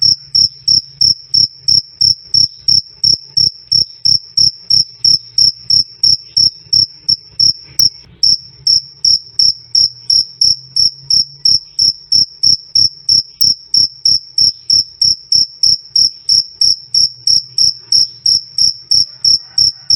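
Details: Shrill cricket chirps, krik krik, loud and clear, rapid and steady at about three per second throughout, one brief blip midway, otherwise only a faint low hum beneath.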